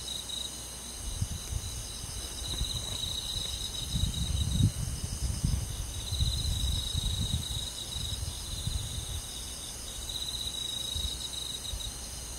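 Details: Summer-night cricket chorus in countryside woodland: continuous high, rapidly pulsed trilling layered in bands, with intermittent low rumbles swelling and fading beneath the insects.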